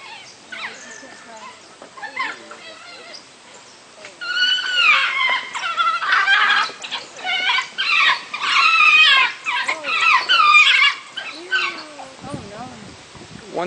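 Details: Three captive African wild dogs at a zoo, squabbling over a single chew toy, give high chirping, twittering cries in dense overlapping bursts, loudest in the middle stretch, with people talking nearby.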